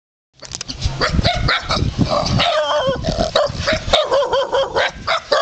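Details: Wild dogs greeting visitors at a temple in Ayutthaya, Thailand: a dense overlapping burst of harmonic yips, whines and barks from several dogs, continuing without pause.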